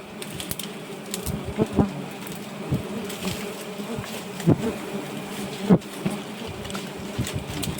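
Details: Dense, continuous buzzing hum of giant honey bees around a nest during harvesting, a low steady drone punctuated by irregular thumps and handling noises, with faint music in the background.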